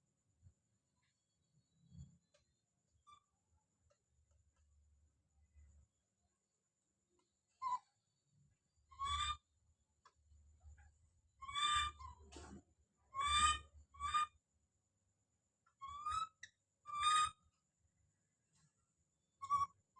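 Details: Baby monkey named Don calling out: short, high, harmonic screams come in scattered bursts, a cluster of four in the middle and more toward the end, with soft low thumps and handling noise between calls.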